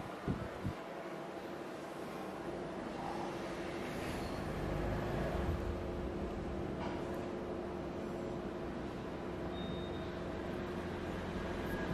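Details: Steady vehicle-like rumble with a low hum and a few knocks, no animal sound heard.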